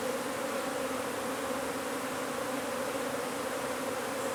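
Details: Unbroken, steady drone of a honey bee colony under a wood pile in McAllen, Texas, as the hive is relocated; a constant low hum with no other clear sounds.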